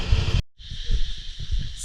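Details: At dusk in Hua Hin, Thailand, cicadas come out: a steady, high cicada drone, muffled (camera in dive housing) and partly buried under low thumping and rumble.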